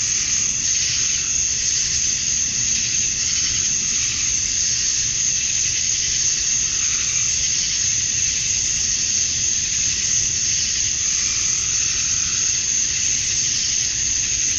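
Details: Cicadas calling at dusk on a Georgia summer night, males singing to attract females. An unbroken, high, sizzling wall of sound with gentle rises in loudness and a quiet low background rumble.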